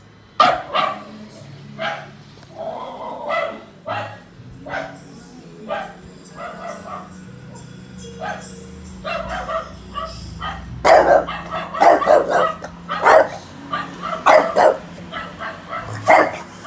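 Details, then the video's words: Domestic dog barks played to Miki, a French bulldog in Indonesia, to see how he reacts: sharp, irregular bark bursts, sparse at first and then denser in the second half, over background music and some talk. "Coba dengerin suara bark dari anjing lain"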